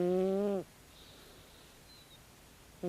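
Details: Loud snoring from a sleeping 16-year-old calico cat: one steady, low, buzzing breath lasting over half a second, a quiet pause, then the next snore beginning.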